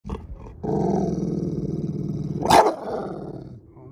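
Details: Pit bull showing fear-based defensive aggression toward a person, before rehabilitation training: a low, rough, sustained growl lasting about two seconds, ending in a brief sharp snarl or bark, with faint talk before it.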